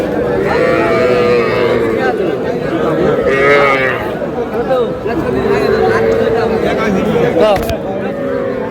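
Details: Cattle, small bulls and heifer calves bought by a Rangpur farmer, at a livestock market on 26/4/26; drawn-out low moos that rise and fall in pitch, overlapping amid bargaining voices and busy crowd chatter.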